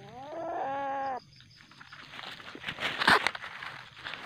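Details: Juvenile common palm civet, very aggressive at night, later released back into the wild: a steady harmonic, tonal cry lasting about one second, followed by rustling and handling noise.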